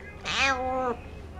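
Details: Begging cat at a cat café in Sendai, Japan; a single loud drawn-out meow, rising then level and falling at the end, with a woman's coaxing voice nearby.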